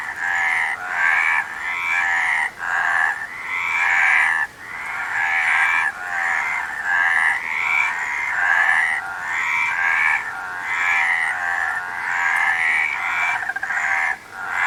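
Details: A group of frogs croaking in a continuous rhythmic chorus, harsh buzzy bursts following one another about every second with short quieter gaps, several callers overlapping throughout.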